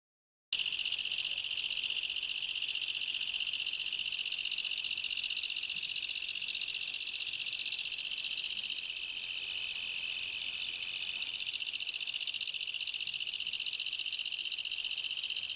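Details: Japanese bush katydid, a large grasshopper-sized insect, singing at night from grass under a tree, loud enough to carry over an air conditioner; a continuous high shrill hissing buzz, steady throughout with fast regular pulsing.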